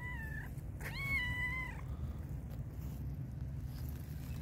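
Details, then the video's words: Hungry black and white stray cat meowing loudly: a short meow, then a longer, steady, clearly voiced meow that falls slightly at its end, followed by quiet; constant low rumble of background noise throughout. "black and white cat was meowing loudly because it was very hungry"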